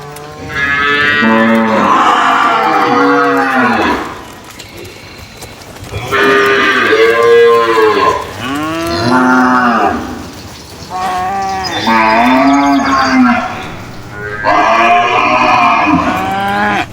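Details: Cattle held in a pen exchanging loud bellowing moos, four long calls with quiet gaps between, some calls bending up and down in pitch.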